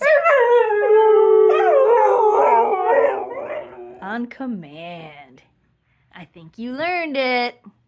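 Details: A female Siberian Husky, asked to sing, howls in long wavering tones, then gives short arching yodel-like notes.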